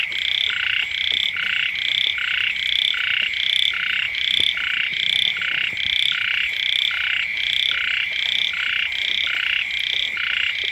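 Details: Frogs and small frogs croaking close to a house in early-season rain, with steady repeated pulses from several callers interleaving over a continuous high-pitched hum.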